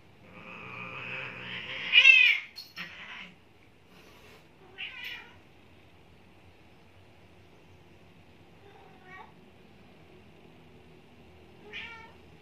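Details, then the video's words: One-year-old neutered Maine Coon trying to mate with a 16-year-old Persian: a loud rising-falling yowl near two seconds, then shorter harmonic wavering meows spaced several seconds apart in a quiet room. "maine coon trying to mate 16 y.o persian"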